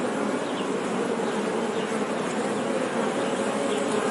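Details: Many honey bees hum together in a steady, unbroken buzz, a warm mid-pitched drone with faint higher chirps scattered over it.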